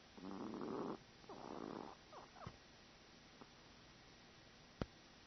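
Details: Chihuahua named Cub-Lui snoring while asleep: two raspy, buzzing snores in the first two seconds, then quieter breathy snorts and a sharp click.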